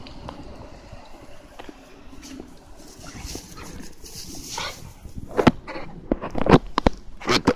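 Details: Ainu dog named Garou, shown running wild, gives a burst of short, sharp barks in the final two and a half seconds after a stretch of quieter shuffling noise, with a human voice briefly heard.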